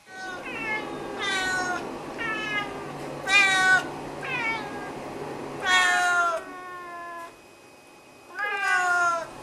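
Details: Loud, chatty meows from Snowshoe cats Nevada and Noodles, who greet and demand a fuss, food or a walk; about seven strong, rich calls in quick succession, some drawn out and falling, with brief pauses between.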